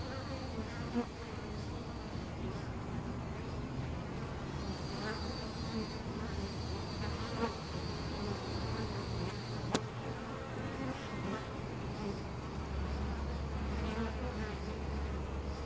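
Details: Swarm of European honey bees nesting in a tree-trunk cavity at Costanera Sur Ecological Reserve, recorded at ten centimetres; continuous low droning hum of many wings, with individual bees passing closer and a brief click midway.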